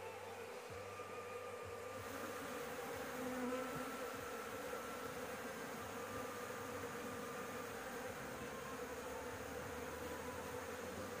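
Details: Honey bees at a nest on a house roof during a honey harvest, with a cigarette's smoke used to drive them off. A steady, dense buzzing hum with a low droning band holds throughout and swells briefly near the middle.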